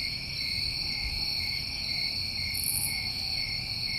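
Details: A continuous chorus of summer crickets in New England, a dense ringing trill held throughout, with a short, very high buzzy burst midway through.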